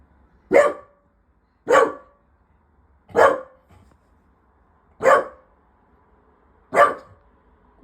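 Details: Chimbaa the pet dog indoors, barking after hearing another dog bark from the other side and wanting to go downstairs; five sharp single barks spaced about one and a half seconds apart, quiet room between them.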